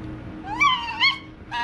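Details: Single drawn-out, rising and wavering harmonic cry from TYR, a pet white fox, while attacking in play, followed by a brief second shriek, over a faint steady hum.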